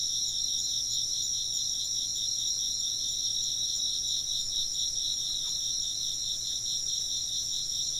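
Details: Chorus of chirping insects: rapid pulsed trilling layered over sustained high shrill tones, even and continuous, a single faint tick midway and a low steady hum in the background.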